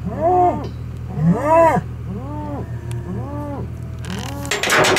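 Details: Hereford bulls, big herd sires being moved around for fertility testing; a series of arched, harmonic bellows, about four in five seconds, over a steady engine hum, ending with a burst of noise.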